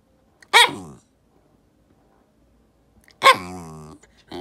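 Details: Complaining white Shiba Inu kept as a house dog, barking in protest: a short, sharp bark, then after a pause a second bark that drags into a drawn-out, groaning whine, and a third bark starting at the end.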